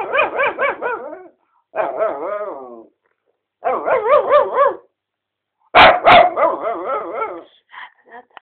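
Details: Playful, attention-seeking vocalizing from a four-year-old mixed-breed dog in a bedroom: several bursts of quickly pulsed, wobbling yowls, each about a second long, with a sharp knock partway through and softer trailing whines at the end.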